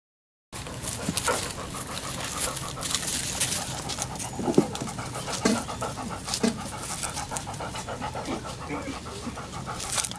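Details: Seven-week-old Labrador Retriever puppies panting in quick, breathy, noisy bursts. Soft scattered thumps and faint whimpers run through the steady rasping background.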